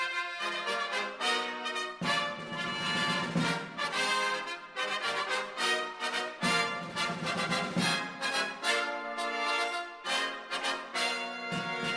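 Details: Brassy orchestral music with trombone and trumpet phrases plays throughout, and no animal voice is heard.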